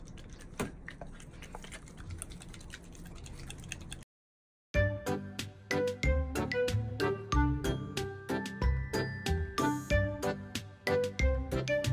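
A soft, noisy hiss gives way after a brief silence to bright plucked, dripping music notes.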